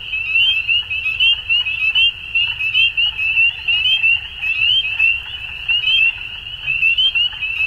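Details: Spring dusk chorus of frogs in Ontario, Canada, many callers giving rapid high-pitched peeps that blend into a steady shrill band, loudness rising and falling in quick pulses, faint low background hum.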